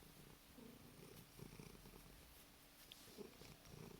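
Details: Sleepy pet cat purring, a steady low rumble with gentle breathing pulses and a few faint clicks, indoors and quiet.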